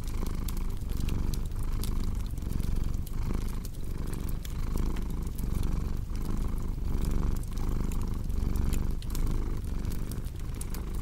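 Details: A cat purrs in a low, throaty drone that pulses with each breath, while a fireplace crackles and pops sharply in the background.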